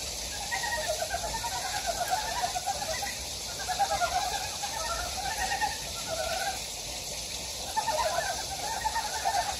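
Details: Frogs croaking in a Gyejoksan valley, Daedeok-gu, Daejeon, Korea: trilled, pulsed mid-range phrases from several callers, each lasting about a second and clustering in waves, against a broad steady hiss of the stream.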